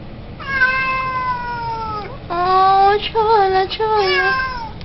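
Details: Siamese cat meowing repeatedly: a long falling meow, then a shorter rising-and-falling one, followed by several quick wavering meows, loud and clear over a quiet room.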